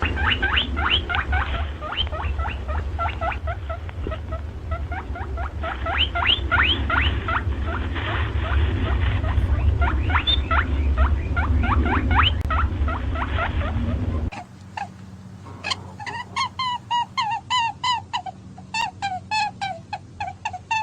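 A rabbit gives rapid, repeated high squeaks over a low background rumble.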